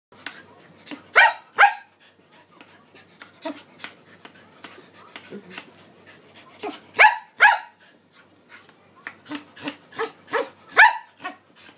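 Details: Shetland Sheepdog "talking", vocalizing in conversation and telling off when ignored: bursts of short yelping, whining barks, some in quick pairs, spread irregularly through the recording, with quieter soft grumbles between them.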